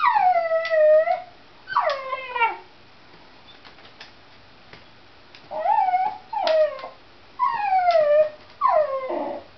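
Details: Excited by a cat outside, a pet dog lets out a series of high, howling whines, each bending downward, in clustered bursts separated by brief pauses.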